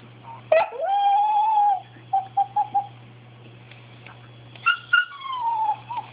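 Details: Bailey, a pet dog wanting something, gives a long steady whine, then three quick short yips, and later two sharp yelps sliding into a falling cry; a low steady electrical hum underneath.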